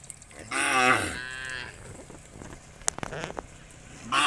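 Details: Cow among a herd of hundreds being driven by shepherds toward green fields: one loud, drawn-out moo lasting about a second, falling slightly in pitch, then quieter herd noise and a few sharp clicks, with another call starting at the end.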